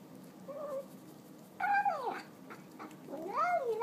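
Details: Fat pet cat eating a pile of tuna indoors makes a soft short meow, then a loud falling harmonic meow, then a rising-falling drawn-out meow, all within four seconds.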